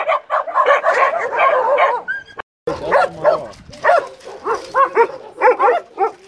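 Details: American Staffordshire Terrier being brushed to remove shedding hair, giving a dense run of harmonic, arched whining calls that rise and fall in quick succession, broken by a brief silence midway, then resuming as shorter separate moans.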